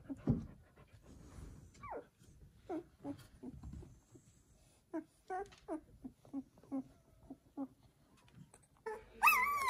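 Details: Newborn Samoyed puppies, a litter of seven, in a house make soft, short squeaks and whimpers, roughly two or three a second at a low level, ending in a louder, rising whine.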